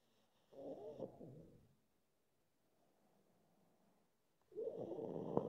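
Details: A drowsy pug wondering whether to sleep lets out two long, raspy snorting breaths, separated by a few seconds of soft, low breathing.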